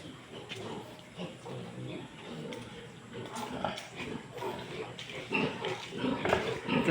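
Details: Pigs in a pen where two sows have just farrowed: rapid, uneven grunting and squealing bursts, loudest near the end, overlapped by a man's steady commentary.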